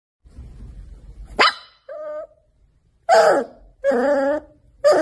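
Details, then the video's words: Puppy barking with high, sharp yelping barks, about four in five seconds, plus a short tonal whine between them. Faint low rumbling is heard at the start. "Baby dog"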